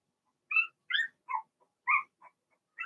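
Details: Blenheim Cavalier King Charles Spaniel puppies from a six-pup litter in a home puppy pen: a few short, high, harmonic whimpers and squeaks, some falling in pitch, spaced by brief silences.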